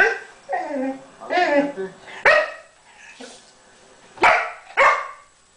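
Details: Pixel, an English Springer Spaniel, play-fighting with Chica the cat on a couch: harmonic whining yelps early on, then three sharp loud barks near the end, with a human voice mixed in indoors.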